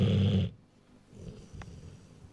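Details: Sleeping Rottweiler a little over one year old: one loud, low, rattling snore that cuts off after half a second, followed by quiet breathing.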